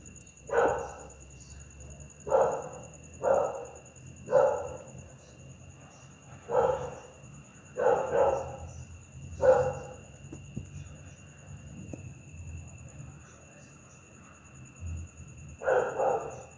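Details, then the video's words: Pit bull barking angrily at night: loud, harsh single barks spaced about one to two seconds apart, nine in all, with a steady electrical whine and a low hum in the background. "Efeito sonoro de PITBULL LATINDO A NOITE"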